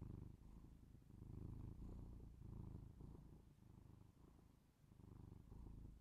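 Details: Domestic cat purring close up, recorded binaurally for ASMR: a low, rough, continuous purr that swells and fades with each breath, about every half second to second, in a quiet small room.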